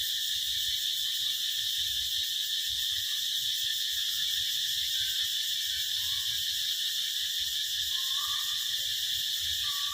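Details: Summer cicada chorus: an unbroken, shrill, buzzing hiss holds at a constant loudness throughout, while a few faint, short whistles rise beneath it in the background.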